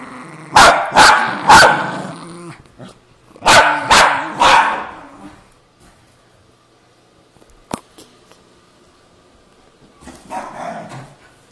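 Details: Two pet terriers, a Cairn Terrier and a Jack Russell Terrier, fighting over an old golf glove: loud sharp barks in two quick bursts of three, then a near-silent stretch with one click and a faint rustling scuffle at the end.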